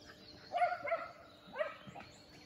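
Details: Shetland Sheepdogs (Shelties) running at full speed outdoors: three sharp, harmonic barks in a short burst, two close together and a third after a brief pause, over a low steady background hiss.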